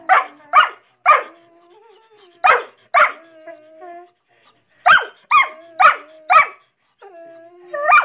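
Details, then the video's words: Collies barking at each other in irregular bursts of two to four sharp barks, around two per second, separated by gaps holding a faint, steady whining tone. "Collies barking"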